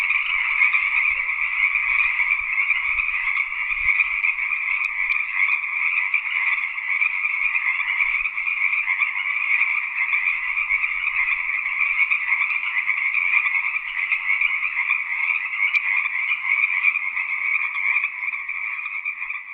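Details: A chorus of frogs in a field keeps up a nonstop dense trilling of rapid croaks in two steady bands, with faint low thumps in the background near the start and middle.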